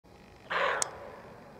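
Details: Female roe deer, alarmed, giving a warning bark in a forest: one hoarse, broad bark about a third of a second long, with a short sharp click just after it and a quiet woodland background.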